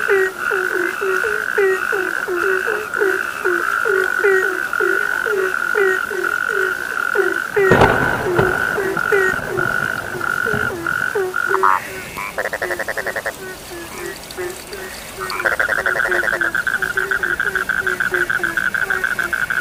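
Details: Frogs croaking in a dense chorus: short, downward-bending croaks repeated rapidly over a steady high trilling drone. A sudden loud crackling burst interrupts midway, followed by pulsed buzzing bursts among continuing croaks.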